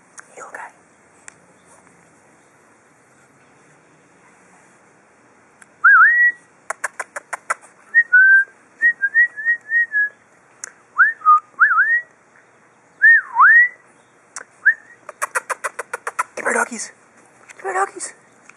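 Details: Four-week-old pug puppies outdoors, testing their first steps: thin, high whines that slide up and then drop, repeated in short bursts, broken by quick runs of sharp clicking.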